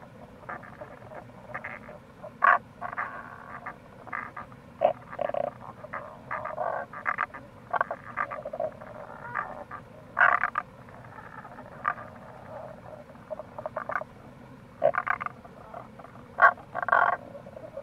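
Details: Several Tago's brown frogs call in April along the Kamo River gorge in Itoshima, Fukuoka, Japan. Their croaks and rattling pulsed calls overlap into a dense, continuous chorus, with the constant murmur of a stream underneath.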